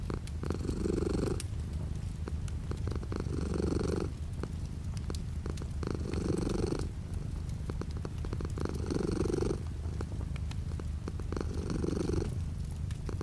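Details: A continuous low cat purr, with light rain falling outside the window. Five breath-paced swells arrive roughly every two and a half seconds, and a patter of crisp raindrop clicks runs underneath.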